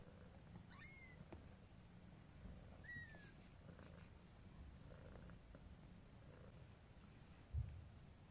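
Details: Mother cat with her kittens, carried to bed in her mouth; a steady low rumbling purr runs throughout, with two faint short high chirps early on and a single thump near the end.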